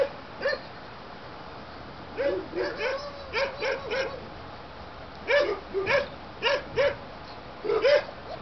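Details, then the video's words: German Shepherd puppies born 7/6/2012 give bursts of quick, high-pitched yaps in clusters of two to four, separated by short pauses, with a faint background hiss. "GERMAN SHEPHERD AQUA & TIGER PUPS"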